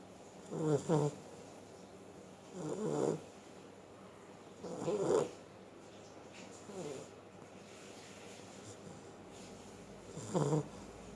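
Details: Sleeping Beagle snoring: five rasping, rattling snores spaced roughly two to three seconds apart, each a short, rough burst, with one softer snore near seven seconds and quiet room hiss between them.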